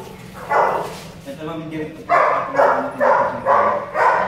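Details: Belgian Malinois at a stud session, home service in Caloocan City: a run of five sharp, loud barks about every half second in the second half, after a quieter stretch of murmuring voices and softer sounds.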